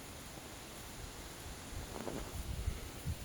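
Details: Outdoor wind rumble and rustling with a few low thumps and handling noise, no animal voice heard.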